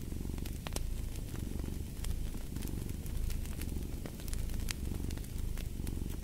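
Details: Steady, rumbling purr of a cat, gently swelling in cycles under clicking fireplace crackles and occasional sharper pops.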